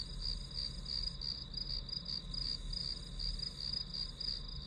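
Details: Grass insects as white-noise study background: rapid high chirps pulse about three times a second over a steady, unbroken high trill, with a low rumbling hum underneath.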